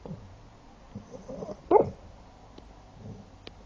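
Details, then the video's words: A Shar Pei gives a single short muffled bark while sleeping, a brief woof amid quiet breathing and low room noise. "Shar pei bark and snore while sleeping"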